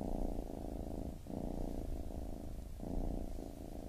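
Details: Kitten purr, a deep buzzing rumble that swells and fades with each breath, two short gaps marking inhale changes across a few seconds.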